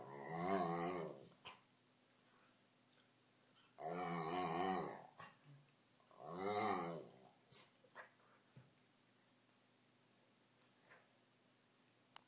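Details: Three-year-old Rottweiler playing with a new puppy: three drawn-out, harmonic growling grumbles about a second long each, spaced a few seconds apart, with soft shuffles and quiet gaps between.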